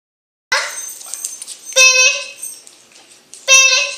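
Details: Dog howling along to the Selena song Bidi Bidi Bom Bom indoors, giving short, high, steady wailing notes with bright overtones in two separate bursts after a brief silence.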